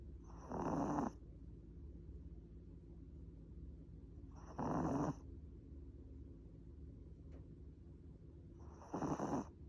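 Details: Pet Chihuahua Mozuku dozing on a lap, producing steady rumbling snores at roughly four-second intervals, three drawn-out raspy inhalations with calm quiet in between.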